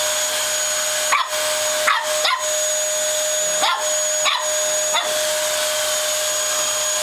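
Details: A female Lhasa Apso puppy, seeing a vacuum cleaner for the first time, gives sharp, high yapping barks over its steady roar.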